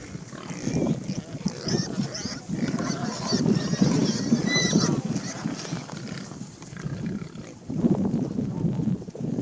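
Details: A noisy herd of wild boar, dense overlapping low grunts and snorts in bursts, louder from one to five seconds and again near the end.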